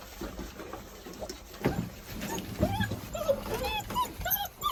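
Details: German Shorthaired Pointer puppies born on 15 January 2022, giving short, arched whimpers and thin yips that bunch together in the second half, over a man talking in Korean and some handling noise.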